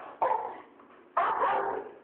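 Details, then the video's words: Two pet dogs, Ada the boxer and Daisy the rottweiler, barking at dinnertime while asking to be fed; two loud, broad barks about one second apart, each fading into a brief tail. "We want dinner!"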